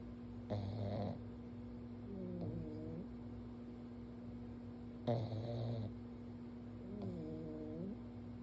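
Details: Pug sleeping on its back while its forehead is gently petted, snoring softly: two breathing cycles about four and a half seconds apart, each a rough, noisy snort followed by a softer nasal wheeze, over a steady low hum.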